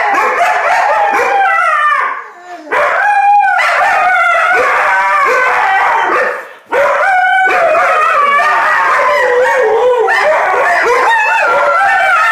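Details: Indigenous Labrador Husky dog guarding a box of cinnamon Timbits. It makes long, loud, wavering howl-like 'talking' vocalizations that slide up and down in pitch, broken by two brief pauses near the third and seventh seconds.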